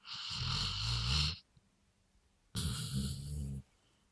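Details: Dog from a sawmill, given three beers and said to be 'talking': two breathy, grumbling bursts of roughly a second each with a low, rough tone, separated by a short quiet pause.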